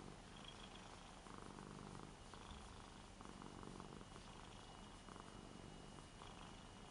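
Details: Petted on a new bed, 8-year-old Ragdoll cat Lara purrs in an affectionate mood while also licking. A steady low rumble pulses with her breathing, with light ticking sounds over it.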